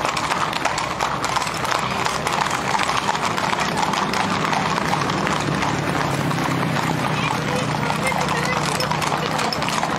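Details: Horses of a gaucho cavalry parade in the San Isidro Labrador procession through the streets of Durazno's suburban and rural zone; dense, rapid hoof clatter on pavement forms a continuous rattling wash, with crowd voices mixed in.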